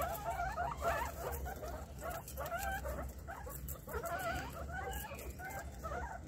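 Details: Guinea pig giving a run of short, squeaky, wavering calls, each rising and falling, repeated about every half second, over a steady low hum.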